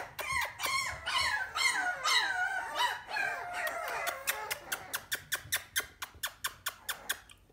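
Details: Young male puppy with an apple-shaped head, offered for sale: high squeaky whines with bending tones over the first four seconds, then a run of sharp regular clicks about twice a second.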